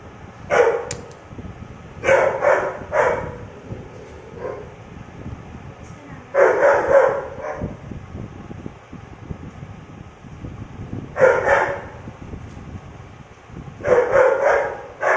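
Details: Dogo Argentino puppy barking in short bursts of two or three rough barks, then pausing a few seconds before the next volley, over a steady low background rumble.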